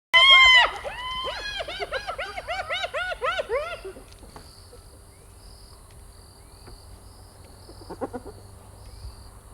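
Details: Spotted hyena: a rapid run of arched, yelping calls, each rising then falling, about four per second. They start loud and high, then fade and lower over four seconds. Quiet background follows, with one brief faint call near the end.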